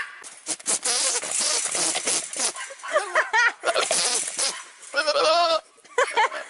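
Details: Goat bleating in wavering, harmonic cries, with two longer drawn-out bleats near the middle and end, broken up by short bursts of rustling and scraping noise.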